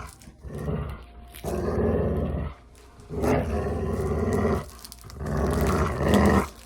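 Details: Play growling by dogs for sound desensitization: three loud, sustained growls of about a second to a second and a half each, deep and harsh, separated by clear pauses.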